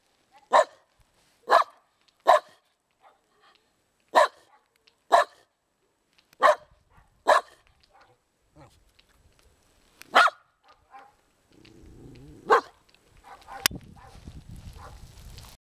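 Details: Single sharp barks from a dog, spaced about a second apart at first, then sparser, around ten in total; toward the end a low rumbling noise and a sharp click enter under the last bark.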